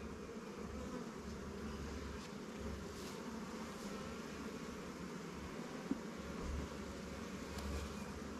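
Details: Honey bees at newly captured swarm hives, Langstroth and Warre, in a beekeeper's apiary while resources are shared from stronger colonies; a steady low buzzing hum fills the clip, with a few faint higher hisses.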